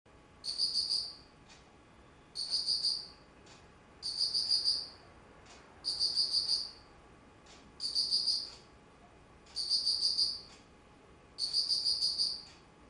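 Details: Insect calling in autumn, recorded 19 September 2009: bursts of high, pulsed chirps about half a second to a second long, each made of several rapid beats, repeated roughly every two seconds over a quiet background.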